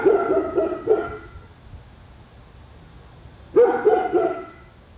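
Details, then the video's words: Barking dog at a house on Spruce Street, Royse City, Texas, where the dogs reportedly bark up to eight hours daily; a quick run of several rough barks, a pause of over two seconds, then another cluster of barks. "Our dog barking"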